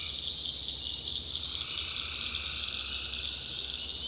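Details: Massed tree frogs at night in a North Carolina backwoods swamp: a steady, piercing high chorus with a lower tone joining partway through, over a faint low hum.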